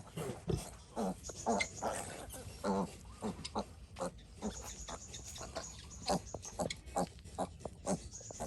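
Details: Sick piglet, ill since it was small, giving a busy run of short grunts and squeaky snorts at uneven intervals, some higher squeals among them, with steady low background rumble.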